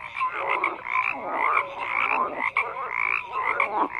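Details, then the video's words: Frogs croaking in a dense chorus, overlapping pulsed croaks and trills filling the mid range, with short tonal notes breaking through now and then; no other sounds stand out. "FROGS CROAKING"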